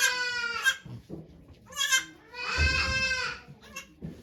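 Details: Farm goat bleating as Okayu delivers two kids at Yoshigake farm, 3 May 2023, with volunteers present. Four loud, rich, nasal cries, the longest drawn out and trembling, plus low thumps and murmurs.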